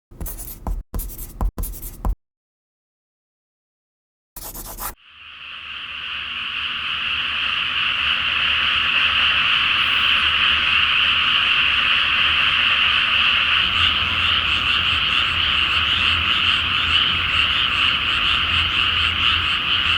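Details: Frogs chorusing at night in a flooded rice field before planting, under a full flower moon: after a few scraping clicks and a brief silence, a dense, continuous trilling chorus swells up and holds steady to the end.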